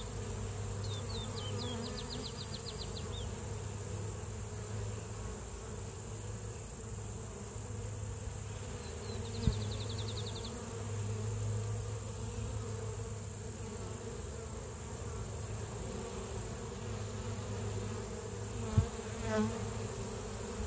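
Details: Steady low droning of honey bees at the hive, the deep hum pulsing gently in strength, with faint high rapid bird trills early and midway and a couple of soft knocks.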